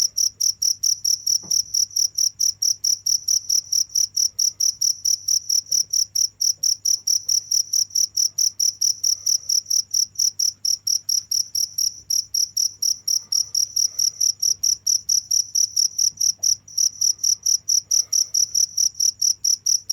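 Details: Relentless cricket chirps, shrill and pulsed, repeating a little faster than twice per second without a break for twenty seconds, a faint low hum beneath.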